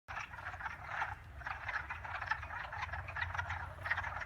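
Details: Dense chorus of frogs croaking together, a steady mass of rough, pulsing croaks swelling and easing every second or so, over a low continuous rumble.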